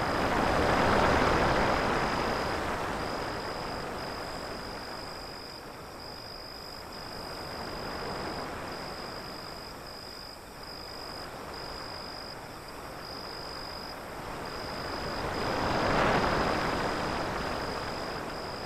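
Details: Crickets chirp in short, regular high bursts with brief gaps between them. Loud waves crash and recede beneath, swelling heavily near the beginning and again toward the end.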